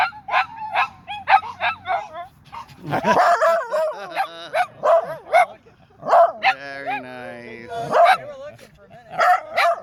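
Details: Dunedin's dog park dog choir: strings of short high yips and barks alternate with drawn-out quavering howls and a sliding harmonic-rich note, the voices rising and dropping in uneven bursts.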